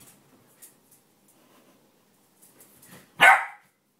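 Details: Shetland sheepdog indoors doing zoomies on a bed. Quiet rustling and soft thumps lead into one sharp, loud bark with a ringing, toned quality, cut off quickly, followed by silence.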